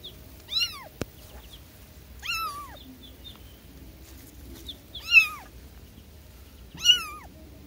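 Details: Newborn kittens calling for their mother: four loud, arched, high mewing cries spaced about two seconds apart, each rising then falling, over a quiet background with one sharp click.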